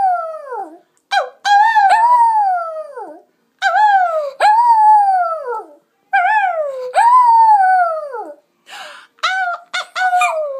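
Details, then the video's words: Lily, a pet Lhasa Apso dog, howling as she sings along with her owner: long, loud tonal howls that rise and then slide down, about two to three seconds each, separated by brief gaps, with short yelping notes between them. "Lily the howling Lhasa Apso dog"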